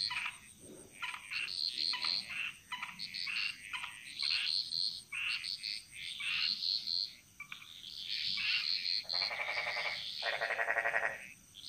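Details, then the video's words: Jungle frogs in Bali sing in chorus, trading short rattling croaks at an irregular clip, then two longer, louder buzzing trills near the end, all above a thin, steady high tone. "Frog Mantras - Relaxing Sounds Of Bali"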